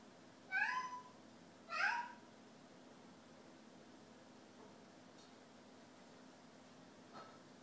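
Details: Snow Bengal cat meowing indoors in a kitchen: two clear rising meows about a second apart, followed by quiet room sound with faint small knocks.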